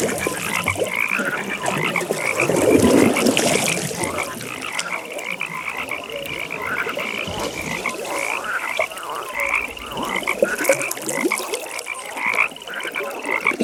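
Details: Frogs calling at a pond in a nighttime setting: a dense chorus of rapid pulsed trills high in pitch, with short tonal notes scattered through, and a brief lower rustling burst near the start.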